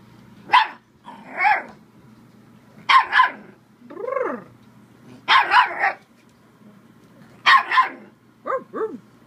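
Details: Playful Bull Terrier pup barking at the camera, giving short double barks and higher yelping whines in bursts, with a steady low hum behind.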